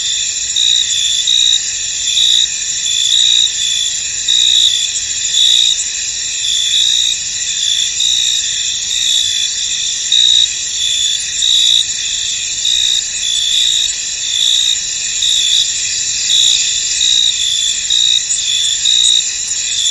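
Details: Crickets calling in a fog-covered field, a thick high-pitched insect chorus with clear pulsed chirps repeating at a quick even pace throughout twenty seconds.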